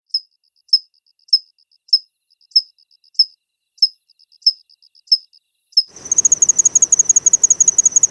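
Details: A Kanetataki cricket from Japan gives clear, high, metallic chirps, one roughly every half second.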